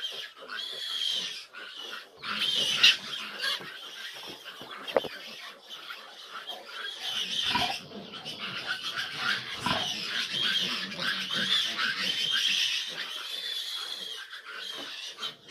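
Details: Piglets of a litter of fifteen, now grown large, while their sow struggles to nurse them; dense high-pitched squealing and grunting, busy and irregular, with background music throughout.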